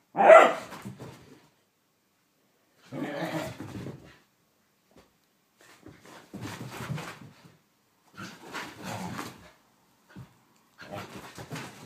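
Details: Blu, a whippet having a mad five minutes indoors, opens with one strong bark, then rough, breathy growling bursts recur every second or two, fainter and noisier than the first.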